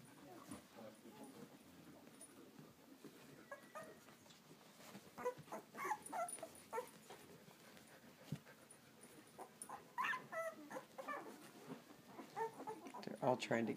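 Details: Litter of 11-day-old Samoyed puppies, a couple not eating well and with diarrhea, trying to get to their mother; soft squeaky whimpers and short yips come in irregular bursts, growing louder and more frequent toward the end, over low room noise.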